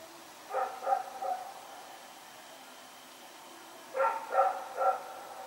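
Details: Night barking from Rex as he runs about, recorded Sep 21, 2018: a pair of quick barks, a pause of nearly three seconds, then three more barks in fast succession.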